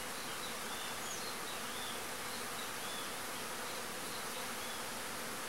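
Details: Agelaia pallipes wasps, known as marimbondo-carniceiro, releasing new swarms; a dense, steady buzzing hum fills the whole stretch without pause, with faint higher whines drifting above it.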